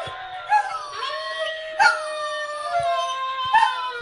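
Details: Pet Doberman straining hard to howl; one long, continuous, wavering howl whose pitch slides up and down with rich harmonics, broken by a few brief clicks.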